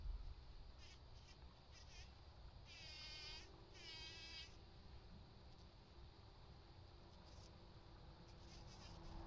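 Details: A bee buzzing busily while pollinating, its wavering, harmonically rich drone rising in two short passes near the middle over a steady low hum of background noise.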